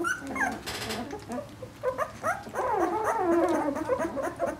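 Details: Vizsla puppies from a litter of about a dozen, two weeks old and born 20 February 2012, whimpering: thin wavering squeals that rise and fall, overlapping in quick bursts from several pups, with a brief rustle near the start.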